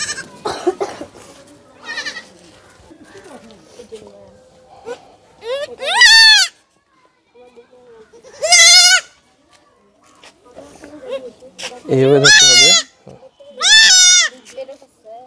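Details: Goat kid bleating while being castrated: four loud, wavering, strongly harmonic bleats, each about a second long, spaced a few seconds apart, after quieter talking and handling noises at the start.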